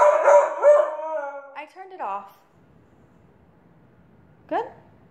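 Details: A husky gives drawn-out, wavering howls that slide up and down in pitch, singing along to Katy Perry's "Dark Horse", with a person speaking nearby.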